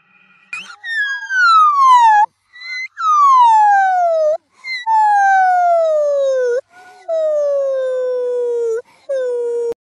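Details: A monkey screaming after appearing and spinning around: five long, loud, tonal screams, each sliding downward in pitch over about one to two seconds, separated by short silences, with a brief higher cry at the very end.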